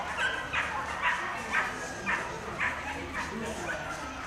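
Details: Whippet at the Coursing Argovia 2018 lure coursing event: short, sharp barks repeated steadily about twice a second over a hissy, noisy outdoor background.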